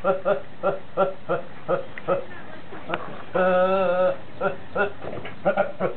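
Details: Horney, a goat that goes around laughing and sneezing all day, gives quick stuttering harmonic pulses in a chuckling rhythm, then one sustained, steady bleat lasting under a second, followed by more short choppy bursts indoors.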